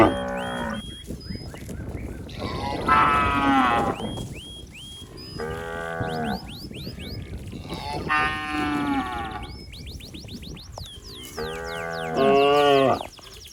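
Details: Healthy cattle wandering a wet rice paddy, mooing in search of its mother: five drawn-out harmonic lows, some wavering, at irregular intervals over continuous high-pitched chirping and rural background noise.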